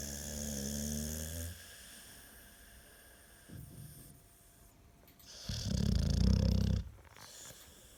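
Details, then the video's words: American Staffordshire Terrier snoring indoors, a domestic pet dog; a loud low rumbling snore at the start, then quiet breathing and a second deep, buzzy snore near the end. "4 Минуты собачьего храпа | Храп | Стаффорд | Стаффордширский Терьер"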